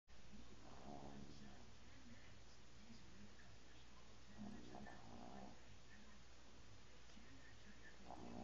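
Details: Bingo, a pet dog, snoring while asleep and twitching: soft, low, throaty rasping breaths in slow bursts about every three to four seconds over a steady quiet indoor hum.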